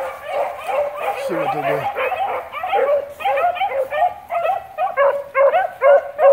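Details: Beagle pack of Blackcreek breeding trailing rabbits; a dense jumble of bays at first, with a brief low voice-like drone, then clearer separate ringing bays pulsing roughly twice a second, growing louder toward the end.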